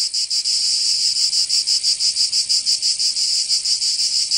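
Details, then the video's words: Cicadas in the southern French region of Provence during summer: a loud, shrill, sizzling buzz swelling and dipping about three times per second in a steady beat. "Canto Cigarra 🦗 [ Escuchar les cigarras en verano"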